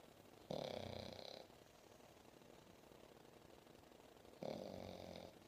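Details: Seven-month-old English Bulldog Momo dozes on a lap after play, giving two drawn-out, harsh snoring breaths about four seconds apart, each near a second long, in a quiet room.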